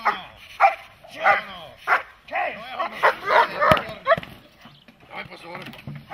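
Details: Protection-training dog barking in loud, rough bursts about once every half second, uneven in spacing, while a handler speaks Czech praise and commands between barks.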